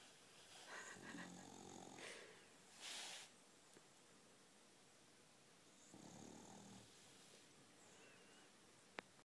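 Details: Dog snoring softly in a small quiet room, with low raspy inhaled snores roughly every five seconds and a short hiss between them.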